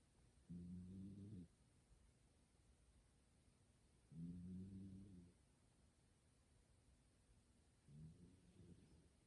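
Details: Sleeping house cat Kumatan snores indoors, a human-like 'gu-gu' sound: three low, harmonic rumbling breaths roughly every three and a half seconds, the last one weaker, against a quiet room.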